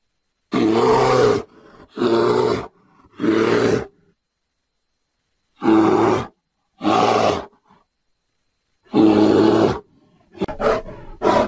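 A bear gives deep, rough roaring growls in short bursts, grouped in threes with brief pauses.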